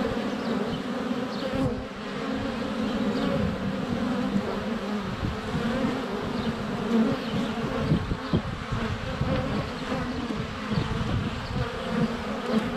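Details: Crowd of honey bees circling a hive entrance on a sunny February day, a GoPro Hero 7 Black held close; unbroken droning buzz with occasional louder passes and bumps of bees landing on the camera, distant birdsong.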